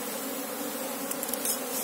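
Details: Asian honey bees (Apis cerana) humming while their colony is searched for the queen; a steady, even drone with low tonal bands, plus a few faint high ticks near the end.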